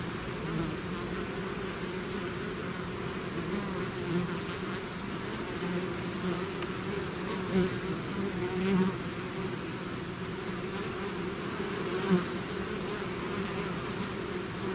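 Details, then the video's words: Bees swarming out of their hive fill the air with a thick, steady drone, low humming bands holding throughout while individual bees zip past close by, briefly swelling the buzz now and then. "bees therapy swarm natural buzzing sound"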